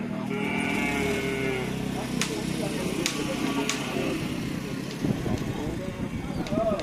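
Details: Cattle at a karapan sapi (bull-race) training session at a field in Asemanis, Pamekasan: a long, low, droning moo lasting over a second, followed by busy crowd noise, chatter and sharp clacks.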